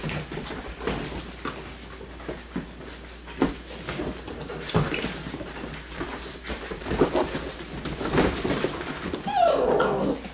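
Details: Six-week-old yellow and black Labrador puppies make small, scrappy growls and a brief whine as they run and play together indoors.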